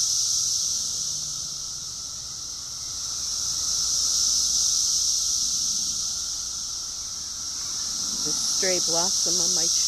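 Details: Massed cicadas in an invasion keep up a continuous shrill buzzing hum that rises and falls in slow, even surges, with a short burst of human talking at the close.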